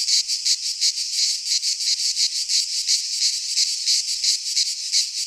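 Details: Singing cicadas of the Greek fauna in midsummer pine woods: piercing high buzz beating in fairly even rapid pulses, nearly three a second, a continuous wall of insect sound.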